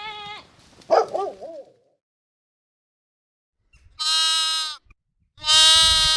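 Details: Sheep in a compilation of bleating, baaing and screaming sounds: two loud, harsh, drawn-out bleats about a second apart near the end, after a fainter wavering call and a quiet pause.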